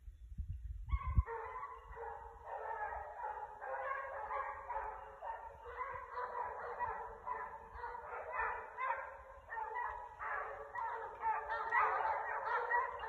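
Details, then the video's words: Pack of six Basset Hounds hunting, hot on the trail of a rabbit in December: continuous overlapping chorus of deep, drawn-out bays and howls from several dogs, voices layered and unbroken throughout, a low thump at the start. "Basset Hound Pack of 6 Hunt Rabbit"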